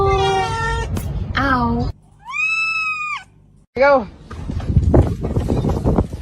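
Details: Domestic cat meowing several times: a long meow, a falling meow, a flat high sustained meow and a short bent meow, with speech and background noise toward the end.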